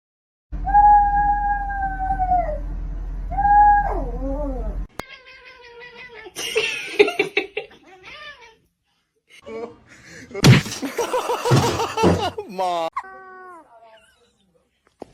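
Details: Domestic cat giving long, drawn-out wavering yowls that bend downward at the ends, then shorter meow-like calls mixed with people talking in Turkish and English and some clattering.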